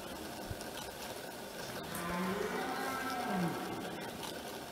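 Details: Red deer stag bellowing in France in 2017: one drawn-out, moaning roar that swells and then sinks in pitch over about a second and a half, heard against a steady background hiss.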